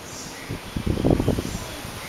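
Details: A koala eating leaves: a second of soft, low, crunchy chewing and rustling bursts, with a steady faint hum behind.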